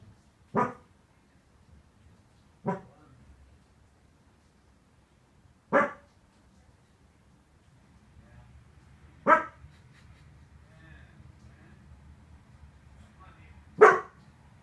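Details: Pet Corgi acting as a guard dog, barking: five sharp single barks spaced a few seconds apart, with gaps lengthening toward the end, over a quiet, low background hum.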